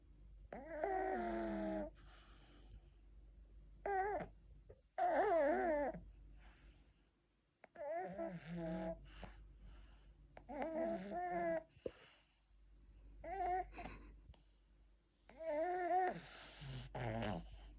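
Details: Sleeping pug snoring indoors: a series of wheezy breaths lasting one to two seconds each, with wavering whistly overtones, separated by short quiet gaps in a regular breathing rhythm.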